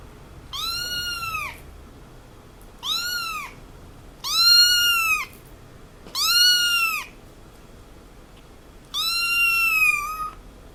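A kitten gives five high, thin meows, each rising and falling, spaced about two seconds apart.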